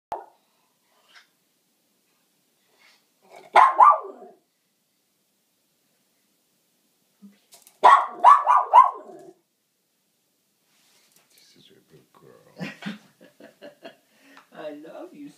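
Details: Pet dog greeting her owner as he returns home from work, a nightly routine. Indoors, two loud, excited, harmonic yelping bursts come about four seconds apart, followed by softer scattered whines and rustling in a quiet small room.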